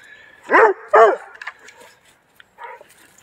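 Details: Doberman Pinscher in upstate New York barking while checking out deer; two loud, deep barks in quick succession, a few fainter sounds, then a man calling the dog back and praising it.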